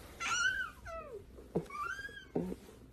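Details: Domestic cat meowing indoors: a long harmonic meow with a slightly rising then falling tone, a second descending wavering call, then a further rising-falling meow, with short knocks and thumps between calls.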